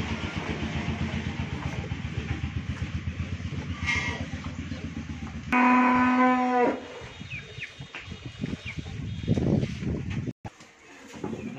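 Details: Friesian cow and her heifer calf on a farm in Pabna district, Bangladesh; an engine-like chugging fills the first seconds before the cow lets out a single loud, even moo about a second long, followed by farmyard noise.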